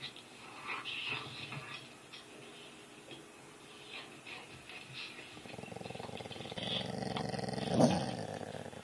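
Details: Pet dog growling in reaction to dog videos playing on screen. Faint scattered sounds come first, then a low, buzzy, rumbling growl builds from about five seconds and grows louder toward the end.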